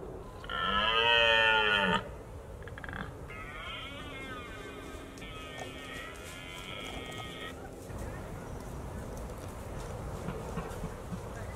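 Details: A red deer stag roars, known as bolving in parts of Britain, during the October rut when stags guard harems of hinds: one loud, harsh, drawn-out bellow of about a second and a half, followed by softer sustained tones and steady hiss.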